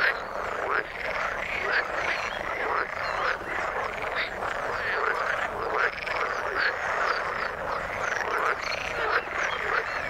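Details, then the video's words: A chorus of frogs in water, dense croaking with short rising-falling notes repeating roughly every second over a continuous pulsing background. "Frog sound in the water"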